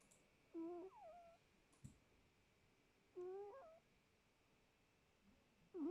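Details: Sleeping house cat snoring in a small room: wavy, whistling tones that bend up and down, three breaths about two and a half seconds apart, one soft knock in between.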